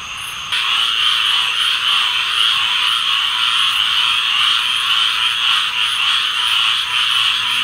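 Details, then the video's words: Chorus of many tree frogs, a dense shrill wall of overlapping high croaks that starts thinner for the first half second, then jumps to a steady, loud, continuous mass with faint rapid pulsing throughout. "Tree Frog Chorus"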